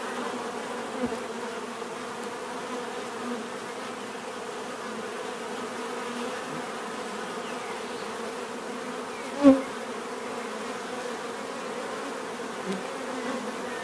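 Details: Softer, steady humming of bees with clear pitched bands, interrupted near the middle by one sharp click or knock; a few faint closer buzzes drift by.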